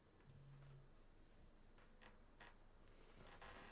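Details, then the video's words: Cicadas heard in the background outdoors. A steady, high, hiss-like buzz runs unbroken throughout, faint and far off, with a few soft knocks and taps in the foreground. "Je sais pas si vous entendez la musique derrière, en plus des cigales, mais il y en a qui s'éclatent."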